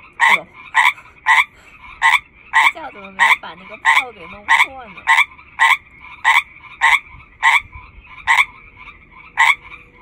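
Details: Loud lead frog in a chorus of hundreds: about seventeen sharp, rasping croaks, evenly spaced at under a second apart, over a continuous high buzzing background chorus; people talk quietly in the middle.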